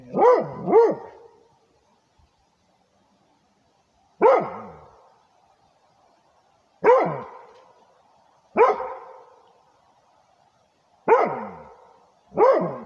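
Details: Territorial barking from a Rhodesian Ridgeback: a quick double bark, then single sharp barks roughly every two to three seconds, ending in another pair, with quiet between them.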